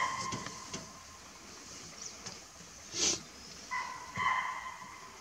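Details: Spotted deer near the Kabini backwaters in Nagarhole National Park give alarm calls: high, piercing, brief ringing barks in short bursts a few seconds apart, over a steady soft hiss.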